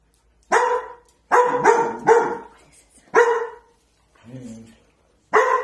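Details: Kitchen barking from a scared dog in protective mode, first time it has ever barked, directed at a corner; a handful of strong, ringing barks, a quick double, and a brief low murmured voice before a final bark.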